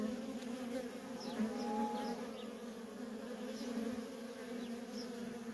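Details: Worker honey bees streaming in and out of a feral colony make a continuous low drone with a layered overtone; brief thin bird chirps sound now and then.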